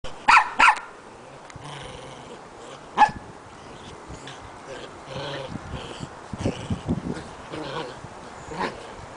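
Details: Two Shetland Sheepdogs playing: a quick pair of sharp, high barks, then another single bark, followed by softer grumbling, growly noises and scattered yips.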